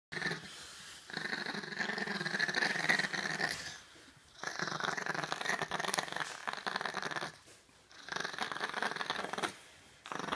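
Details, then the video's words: Chihuahua growling and grumbling while being dried off after a bath, in long rough bursts of one to three seconds separated by short quiet gaps, with a man's voice talking nearby. "max the bad chihuahua drying off"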